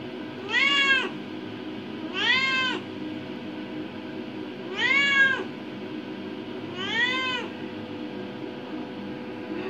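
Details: Adopted indoor cat, five years and eight months old, exploring a bathroom near the bathtub, gives four drawn-out harmonic meows, each rising then falling, spaced about two seconds apart over a steady low room hum.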